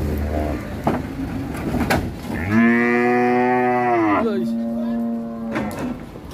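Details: At Siyono Harjo market, a sacrificial cow runs wild while coming off a truck. One loud, sustained bellowing moo lasts almost two seconds, then trails into a softer low hum. Men's voices and knocks are heard before it.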